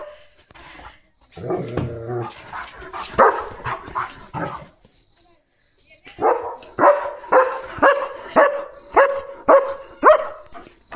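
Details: Leo, a pet German Shepherd, barking fiercely on night guard duty in the home courtyard: a burst of rough barks early on, a short pause, then a steady run of about nine loud barks roughly every half second. A human voice is heard briefly at the start.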